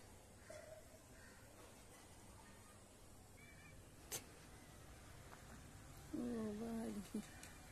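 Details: Cats and a kitten eating cat food in a residential society; late in the clip one short, steady, harmonic meow-like cry stands out over faint background hum, with a single sharp click a couple of seconds earlier.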